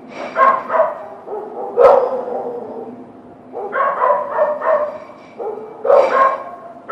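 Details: Dog barking in clusters of rapid rough barks, a louder sharp bark punctuating each group, with a steady low hum beneath.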